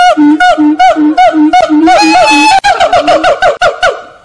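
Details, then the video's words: A captive monkey song at Fota Wildlife Park, Cork Harbour, Ireland: evenly spaced hooting notes about every third of a second, then a denser, faster run of swooping calls that gradually fades. "Singing Monkeys Foto Zoo Cobh"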